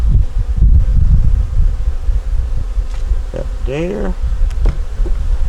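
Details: Honey bees of a nuc colony during a winter hive inspection, a yellow queen with eggs and brood in the top box: a low, steady rumbling hum with soft handling knocks, and a voice speaking briefly near the end.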